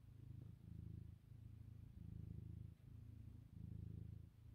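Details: A house cat kneading on the sofa at lunchtime purrs continuously, a deep even rumble rising and falling with each breath about every 0.8 seconds, short dips between inhale and exhale, room otherwise quiet.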